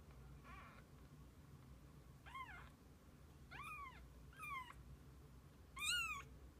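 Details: Kittens with their mother cat, spending the day together: five high, arched meows, each rising then falling, spaced roughly a second apart, the last one loudest, over a low steady hum.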